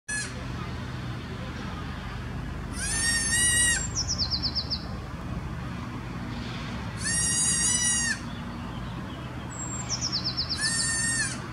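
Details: Newborn Alpine ibex kid, apparently lost, calling constantly for its mother at Wildnispark Zürich Langenberg, Switzerland, 17 May 2016; three strained, harmonic bleats about a second long at regular gaps, with a descending bird trill and low hum behind.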